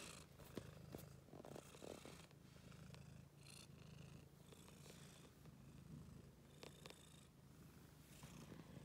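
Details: Cat at play in a laundry basket purrs in a continuous deep rumble, while intermittent clicks and rustles from the basket come and go over it.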